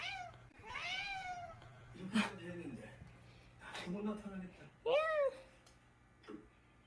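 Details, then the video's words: Indoor cat obsessed with a rice-cooker rubber seal: several short arching meows with clear harmonics, a couple of quieter chirps, and a woman talking softly in Korean between calls. "밥솥고무에 집착하는 고양이"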